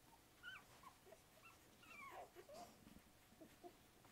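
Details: English Springer Spaniel puppies, a litter of eight aged one to two weeks, giving faint high whimpering squeaks and short rising and falling whines over a low background hiss.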